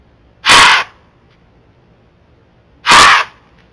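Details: Two loud, harsh blowing snorts about two and a half seconds apart, each a burst of rushing breath, come from a Florida white-tailed doe on a trail camera. She is snorting at a bobcat to ward it off and alert other deer.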